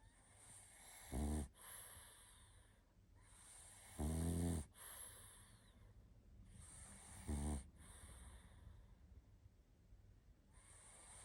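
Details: Barney, a tired pug, sleeps indoors and snores: three loud, rumbling snores with buzzy stacked tones come about every three seconds, with soft breathing and quiet hiss between them.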